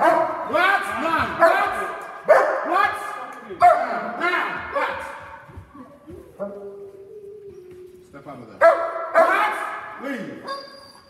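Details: Two dogs in protection training performing a synchronised hold and bark on command: loud, harsh barks in rapid repeated bursts, a lull near the middle, then renewed barking, with a handler shouting commands over them.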